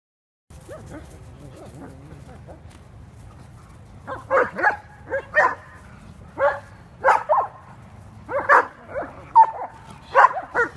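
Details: Kuvasz dogs romping and having fun in California; after about four seconds of quiet rumbling, deep hoarse barks start, repeated roughly once a second in uneven bursts, with some yelping tones between them.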